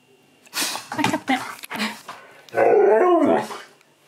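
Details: Husky talking persistently for churros, first time trying them: broken yips and grumbles followed by a long wavering, rising-and-falling howl-like moan, with a person's voice and background music.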